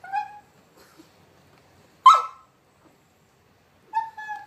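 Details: Dachshund crying and begging a Jack Russell to play; high whining cries, a short yelp near the middle and a sustained tonal whine at the end, separated by near silence in a quiet room.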